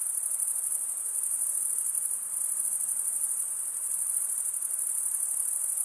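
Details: Steady shrill chorus of stridulating male crickets gives a dense high ringing trill with soft rhythmic pulsing. No other creatures or background noises stand out.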